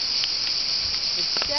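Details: Loud cicadas at Olympia, Greece, on 26 July 2008, near ancient column rubble; an unbroken high buzzing drone, with faint human voices underneath.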